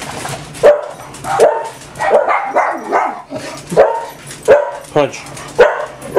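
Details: Barking from a household of six pet dogs on a typical morning at home: a steady run of about nine sharp barks over six seconds, with a person talking to the dogs in the background.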